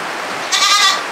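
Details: Goat in a farm cage where mothers with kids and milking goats are grouped together; a single half-second bleat with a bright, harmonic, slightly wavering tone rises out of steady background hiss, and a person calls nearby.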